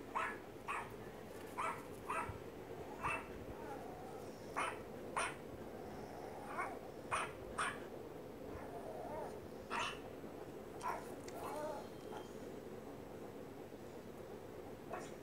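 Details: Pet dog, angry and worried, reacting to barking played from a phone: a series of short, sharp barks, some single and some in quick pairs, spaced about half a second to a second apart over fifteen seconds, with steady indoor hiss behind.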